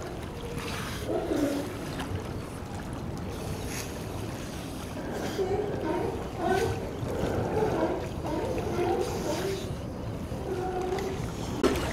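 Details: Steady sloshing water and wind noise at a wharf with faint, indistinct voices and no clear animal calls.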